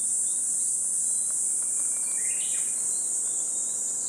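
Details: A continuous high-pitched insect whine from cicadas in Gifu Prefectural Centennial Park on a 37°C summer morning, 23 July 2026, with faint brief rising chirps underneath around the middle.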